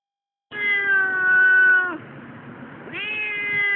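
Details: Female Siamese cat protesting at a tram station on the way to her annual vet check: a loud, drawn-out, harmonic yowling meow lasting about one and a half seconds, then a softer pause and a second long complaining meow.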